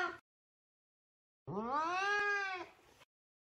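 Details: Talkative Savannah cat Sabian looking for Sabina, heard with the tail of one meow and then a single clear meow rising in pitch, level, then fading.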